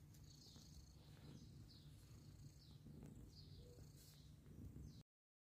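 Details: Mother cat caring for adopted kittens, a continuous low pulsing purr with light high-pitched squeaks breaking in every second or so, then sudden silence at the end.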